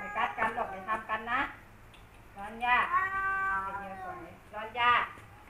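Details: Male cats Kaopat and Ronja, longtime rivals, trade loud yowls: a stuttering pulsed wail, then a long sustained howl that slides down, and a final sharp rising cry.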